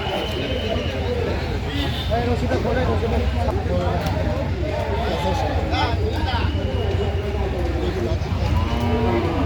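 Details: Cattle at the Kodalia cattle market in Jessore, bought for Qurbani; a low, drawn-out moo rises from a busy crowd, with steady chatter, bargaining voices and a low background rumble throughout.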